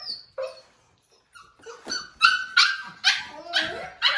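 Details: Bubbles, a five-week-old foster puppy protesting at being called in for dinner, gives scattered short yips after a near-silent pause, then louder rasping yelps repeated about twice a second.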